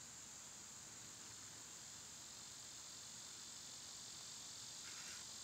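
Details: Summer cicadas, loud at this time of year, recorded on a comparatively quiet day, producing a sustained high electric buzz, with a brief brighter burst of another sound just before the close.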